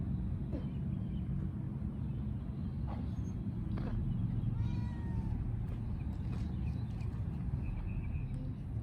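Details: A cat gives one drawn-out meow, rising then falling in tone, midway through, with a few short faint mews around it, all over a constant deep background rumble.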